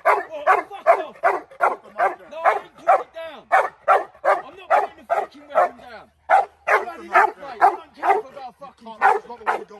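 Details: American bulldog in woodland protection training, barking in a rapid, slightly uneven string of loud, harsh barks, about two or three per second with one brief pause, while a man calls commands over it.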